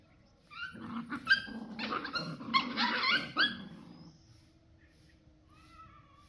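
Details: Street puppies outdoors on open ground give a quick run of high yelping whines lasting about three seconds, layered and overlapping. A faint, thin, drawn-out whine follows after a pause, with a low background hum.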